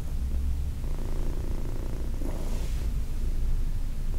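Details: Low, even purring from Heidi, a 14-year-old female cat once at the Humane Society of New York City, recorded during a massage on August 4, 2021, with a brief rustle of handling near the end.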